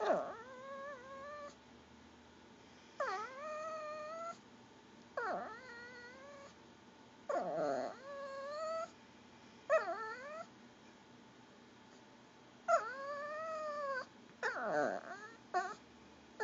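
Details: Pomeranian, a female, begging for goldfish crackers her owner will not share; repeated gurgling, wavering whines with bent, sliding pitch, each about a second long, separated by short pauses, after a person asks what she wants.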